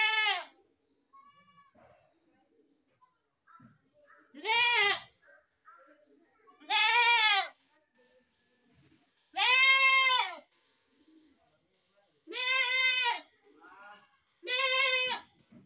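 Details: Goats bleating repeatedly: six wavering, nasal harmonic bleats, roughly every two to three seconds, with soft shuffling and faint voices in the gaps.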